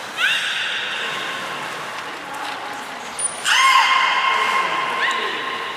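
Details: Belugas Nana and Niko during a training session at Port of Nagoya Aquarium, 7 October 2018: long, steady tonal whistles with richly stacked harmonics, each beginning with a quick upward sweep, broken by a short high-pitched tone near the middle.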